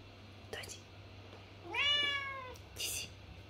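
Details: A lynx point Siamese cat named Mićo, a male asking his owner for something, lets out one long meow. It is clear and strongly harmonic and slides gently downward, framed by soft rustles and brief hissy noises.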